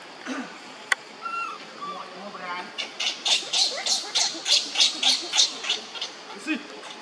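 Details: Young monkey Leo crying on the ground while another monkey, Libby, torments him; a run of about a dozen sharp, high, hoarse cries repeats roughly three times a second, preceded by softer wavering calls and background chatter.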